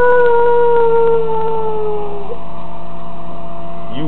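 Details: Pet dog howling at a tornado siren: a long steady tone sliding slowly downward for over two seconds, ending in a short wavering rise, with the siren's drone beneath throughout.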